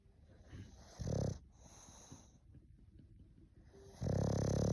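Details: English bulldog snoring: a loud, rough, low rumbling snore near one second, quieter raspy breathing in between, then another strong droning snore building from four seconds to the end.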